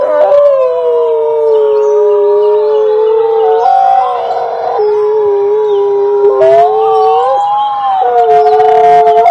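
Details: Several wolves howling together: long drawn-out overlapping wails, voices stepping between pitches and briefly wavering, forming a dense continuous chorus with a few short yips near the end.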